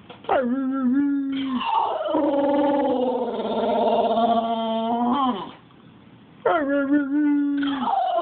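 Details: English Bulldog. An English Bulldog gives drawn-out howls, each a sustained, wavering tone that bends in pitch and rises at the start. A brief quiet gap separates the second howl from the first.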